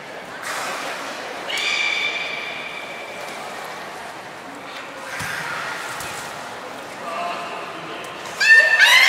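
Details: At Port of Nagoya Public Aquarium, Japan, on 7 October 2018, trained belugas Nana and Niko produce a held, buzzy harmonic squeal, then softer scattered tones, and a sharp rising chirp at the close.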